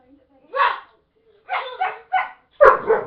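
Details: Domestic dog barking at its owners: a single bark, a pause, then a quick run of three barks ending in a loud, sharp one, with soft voices faintly beneath.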